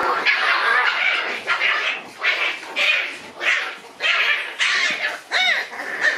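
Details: White Shiba Inu brothers in a fight, trading sharp, harsh yelping barks in rapid bursts that sometimes break into higher, ringing squeals, with short gaps between the outbursts.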